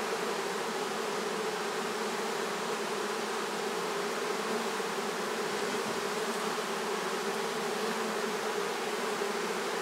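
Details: A honey bee swarm, being gently collected by a beekeeper in swarm season, makes a thick, even, unbroken drone of many wings humming together, with no other sounds above it.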